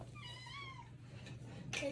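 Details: Ragdoll cat meowing indoors as it is readied for a walk in a harness: one drawn-out, slightly wavering meow with a falling end, followed by a short rustle and a soft low hum in the room.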